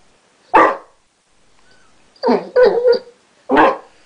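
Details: Basset Hound named Chester, who has recently learnt to 'talk': a sharp single bark, a pause, then a run of three quick grumbling, warbled vocal bursts and another sharp bark to finish.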